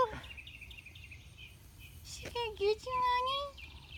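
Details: Goat uneasy about Bernice's frilly getup, named Poundcake, gives two short wavering bleats, then a longer quavering one held about a second. A low background hum and faint chirps are also heard.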